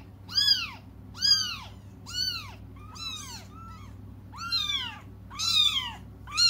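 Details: Meowing cats awaiting their mother's return: loud, piercing, arched cries repeated about once a second, one weaker, wavering call midway, above a faint low hum.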